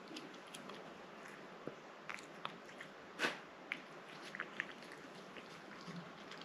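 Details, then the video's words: A house cat named Rang-i works through a liquid treat, with scattered moist smacks and bites and one louder squishy burst near the middle. Otherwise the background is quiet with only a faint hiss. "고양이 물 간식 먹는 먹방 ASMR(?)"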